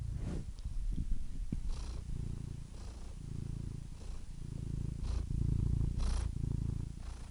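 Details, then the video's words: Deep, continuous purring from a cat, a low vibrating rumble rising and easing with its breathing, with a few faint breathy rustles in the pauses. "purring cat"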